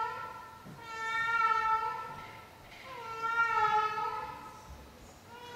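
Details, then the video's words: Nightly vocal performance by a 16-year-old female cat: two long, wailing meows that swell and fade, each lasting around two seconds, with a soft gap between them and no other clear sounds. "Our 16-Yr-Old CAT and her Nightly Performance"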